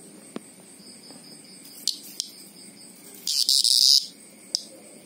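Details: Greengrocer cicada giving a loud, harsh, high-pitched buzzing scream that lasts under a second, with fainter steady high insect drone and scattered clicks around it.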